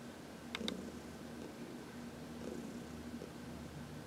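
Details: Heidi, a 14-year-old cat from the Humane Society of New York City, purring softly under a massage in the sun; low rumble with two quick high clicks early on.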